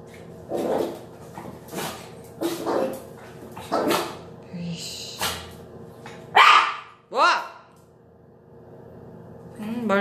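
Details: Indoors after a hated bath, a Yorkshire Terrier called a little bully yaps four times in quick succession, then gives two sharp rising-falling whines, with a person talking between calls.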